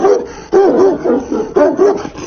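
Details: A Tibetan Mastiff in a fight with a man: loud, rapid, repeated moaning yelps, each rising and falling in pitch, coming in close bursts with hardly a pause.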